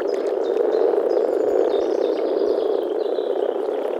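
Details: Male European common frogs (Rana temporaria) grumbling through their vocal sacs at a forest pond during the early-spring mating gathering: a dense, continuous low purring chorus, with faint high bird chirps overhead.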